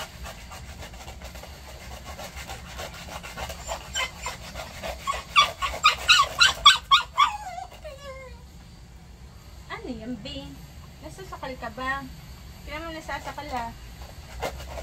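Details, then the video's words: Maltese dog having its nails done: a run of rapid, rhythmic breathy pulses builds and fades, then high, quivering whimpers and whines come in short bursts, with a person's voice in the background. "Maltese Dog Nail Care Reaction"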